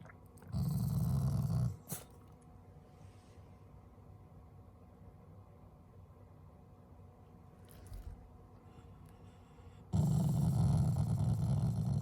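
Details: A pet Shiba Inu growls affectionately at its owners, not in anger. A short, deep rumbling growl is followed by a long stretch of near silence with faint shuffling, then another low growl begins and carries to the end.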